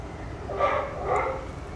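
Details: Young sea lions at Blijdorp zoo give two hoarse, bleating barks in quick succession over a steady background hum.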